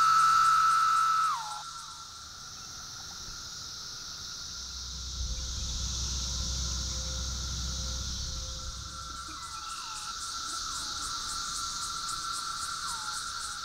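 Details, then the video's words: Brood III periodical cicadas, including a calling Magicicada septendecim, at a roadside veterans memorial on Highway 65 in Grundy County, Missouri, on May 20, 2014. A steady droning tone with repeated falling slurs rises over a high, hissing chorus. "Roadside flag with Brood III cicada sounds"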